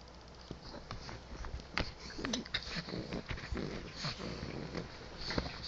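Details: Pet pug Jax, playing with his ball in bed, sniffs and snuffles in quick, airy bursts, with a few sharper nasal puffs near the two-second mark and steady rustling throughout.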